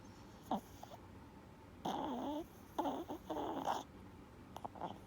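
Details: Lucky, a four-year-old blue-haired Chihuahua with reverse sneezing, snores while asleep indoors: short snorting bursts, then two longer rough, nasal breaths around the middle, and a few soft sniffs near the end.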